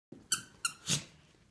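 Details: West Highland white terrier, a male Westie, excited and ready for his walk indoors; two short high squeaky whines with bright harmonics, then a breathy huff, in a quiet small room.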